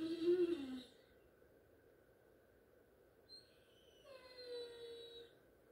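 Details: Great Dane crying for attention before going to bed: a loud, tonal, wavering whine in the first second, a quiet gap, then a softer, longer, slightly higher drawn-out whine that slides downward near the end.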